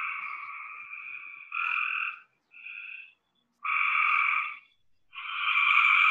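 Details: Several Cope's gray tree frogs in Georgia calling together, a sound described as a trilly belch: harsh buzzing trills alternating with brief pauses, one shorter and softer burst in between.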